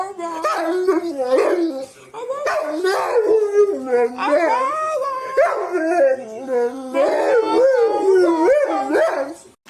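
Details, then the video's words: Dog vocalizing in a funny, chatty way: a near-continuous stream of warbling yowls and moans that wobble and swoop in pitch, separated by brief breaths, loud throughout with no other sounds standing out. "Funny Dogs' Noises! Dogs can say "I love you"!"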